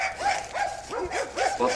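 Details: Two dogs, a Serbian defence dog and a Dogo Argentino, give rapid high yelping barks, each an arched tonal yip, about three per second in a steady run.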